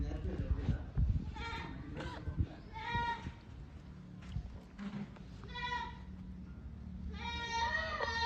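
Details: Farm goats bleating several times, harmonic wavering cries recurring every second or two, with human speech and low rumbling background noise.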